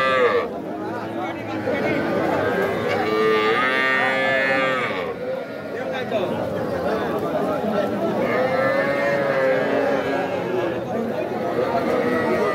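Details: Young bulls and heifer calves at Aftabganj cattle market, Nawabganj, Dinajpur, 5 September, crossbred heifers among them: several drawn-out lowing moos, some rising and falling, overlap with chatter and bargaining voices over twelve seconds.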